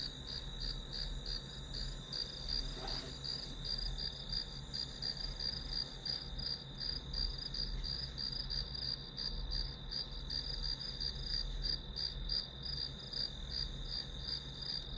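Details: Grass insects chirping through a study session, a bright high trill pulsing nearly three times per second without pause, over a faint continuous low hum, with a brief soft thud early on.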